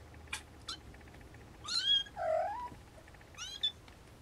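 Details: Siamese snowshoe kittens mewing: two brief clicks, then a high rising mew, a lower drawn-out wavering meow, and a final high rising squeak, against a soft steady hiss.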